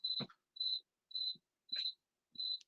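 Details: A cricket gives steady, high, pure-toned chirps, each about a quarter-second long, repeated roughly twice a second; many crickets are heard outside the window out in the middle of nowhere.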